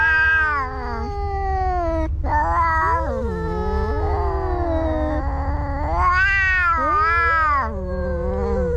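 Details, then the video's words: Two cats fighting with nearly unbroken caterwauling. Wavering, strained wails swell and sag, a sharp break comes near two seconds, and a louder rising yowl follows later, over a low constant hum. "Two Cats Fighting"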